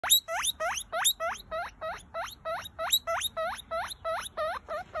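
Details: A guinea pig wheeks nonstop in rapid, high, upward-sweeping squeals, about three per second, over five seconds with no other sounds.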